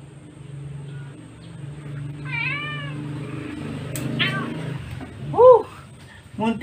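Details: Female Siamese cat Sweetie meowing while her claws are trimmed: several short arched meows, the loudest and highest one near the end, with a low human voice murmuring underneath in the first half.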